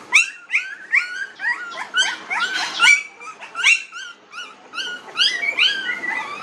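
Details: Newborn puppies, 19 days old, in a village, giving a rapid jumble of high, overlapping whines and squeaks that swoop upward and fall away, several pups calling at once in short bursts.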